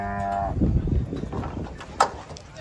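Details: Agitated cattle at a truck unloading: a short, deep moo opens the moment, cut off after half a second by rumbling, thumps and a person's voice.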